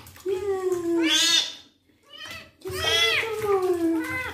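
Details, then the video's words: Kitten having its first bath as its wounds are cleaned, giving two long, loud, slightly falling meows about two seconds apart with a brief quiet gap between, over a low background hum. "KITTEN'S FIRST BATH, CLEANING HIS WOUNDS AND HE MEOWS A LOT"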